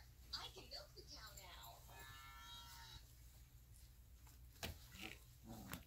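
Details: Alaskan Malamute puppies about 3.5 weeks old, playing, give high, wavering whines and squeals, with one longer steady whimper.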